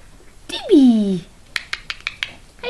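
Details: Papillon puppies: one drawn-out whine sliding downward for about half a second, followed by a run of sharp clicking taps, indoors.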